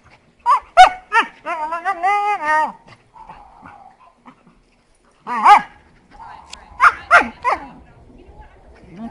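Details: Playful heeler mix, possibly, romping with an Australian shepherd, April 2012, giving odd noises: a quick series of wavering, yodel-like whines and yips in two bursts, with a human voice faintly in between.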